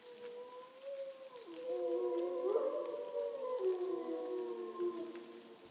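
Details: Quieter, more distant howling from captive grey wolves below a bridge at dusk, Šumava National Park, Czech Republic, September; overlapping steady tones swell midway, with a few gliding pitch shifts before trailing off.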